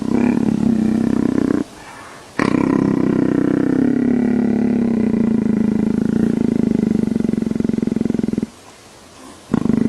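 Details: Leopard purring like a motorcycle: a loud, deep, rapidly pulsing rumbling drone held for long stretches, broken by two short pauses for breath.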